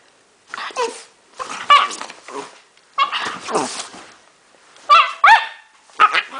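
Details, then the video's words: Pet dog producing odd vocal sounds: five clustered bursts of squeaky, sliding whines and yelps, some rising then dropping sharply, separated by short pauses. "My dog makes strange noises"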